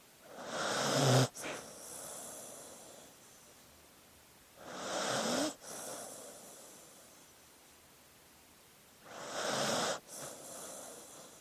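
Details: Slumbering dog with wheezy, snuffling snores: three breathy inhales about four seconds apart, the first loudest with a rough rattling edge, each ending in an abrupt stop and a hissing release of air.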